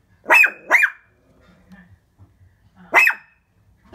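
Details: Indoor Shih Tzu that has barked for three minutes at the window: a quick pair of piercing yaps, a short pause, then another sharp bark and the start of a fourth, with a near-silent room between.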